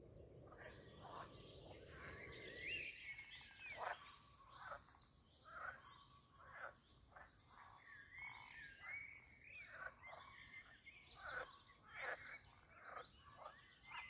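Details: Frogs in mating season croaking at the Castle Aerwinkel pond, Posterholt, Netherlands; a low rushing noise fills the first three seconds, then steady overlapping harsh croaks repeat in short bursts.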